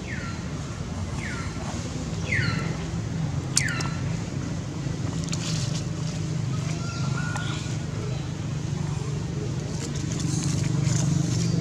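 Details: Baby monkey under attack from an angry female, screaming so its mother will come help: four sharp descending shrieks in the first few seconds, one brief flat tone later, then mostly rumbling background noise and clatter.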